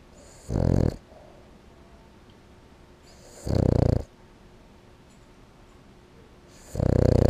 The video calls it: Boston Terrier snoring